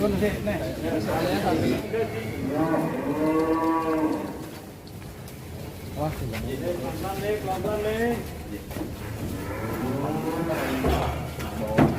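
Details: Massive, rare cattle leaving their pen; a loud, drawn-out moo swells and holds for about two seconds, then several shorter, bending moos follow, with faint background voices.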